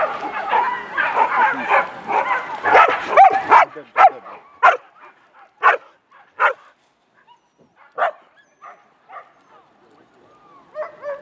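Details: Whippet mix dogs during warm-up runs at the Grand Prix Polski race in Bytom Szombierki, Poland, on 16 May 2015; a dense burst of excited yips and voices gives way to sharp, irregularly spaced yelps that fade out.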